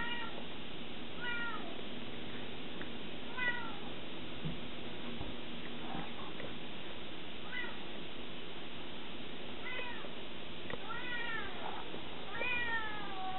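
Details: Scirocco, a 20-week-old Savannah cat, indoors, gives a series of short, arched, chirping meows every one to two seconds, bunching closer together near the end, over a steady hiss of background noise.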